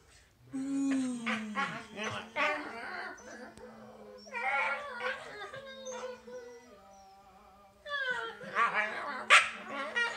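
A corgi makes bursts of high, squeaky chirps and whining yelps, with a person speaking nearby.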